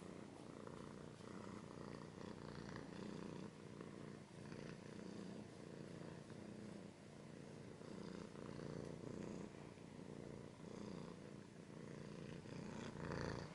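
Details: Domestic cat purring close up: a continuous low, throbbing rumble that pulses evenly in and out with each breath across the whole stretch, with faint soft scratching and rustles on top.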